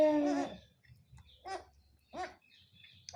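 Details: Goat doe, a first-time mother, and her kid during a nursing lesson: a loud, clear, harmonic bleat opens, followed by three shorter, rougher bleat-like calls at roughly half-second gaps in a quiet indoor setting.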